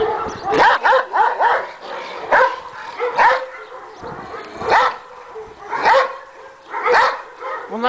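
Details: Pure white Akbaş dogs on a Kangal and Akbaş farm in Karacabey, Bursa, Turkey, called more dangerous; loud single barks and short bursts spaced about a second apart, with a man talking between them.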